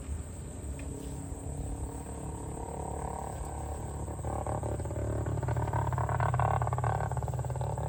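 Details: Farm cows being herded to the barn; a deep, drawn-out moo swells through the second half, its low tone rich in overtones, over a steady broad background noise.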